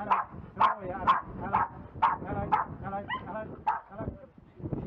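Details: Jack Russell Terrier named Bowie during scent-tracking search-dog training in rubble, giving a run of sharp, yipping barks, about two per second and unevenly spaced, with a brief pause near the end before the barking resumes.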